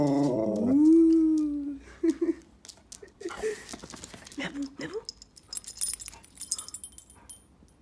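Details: Golden retriever dog about to go for a walk gives a long rising-then-steady whine, followed by shorter whimpers and scattered clatter and rustling.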